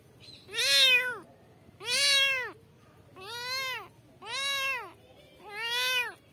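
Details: Kittens meowing for their mother: five loud arched meows, each about three-quarters of a second, repeated roughly every 1.3 seconds with rich harmonics, over a quiet background.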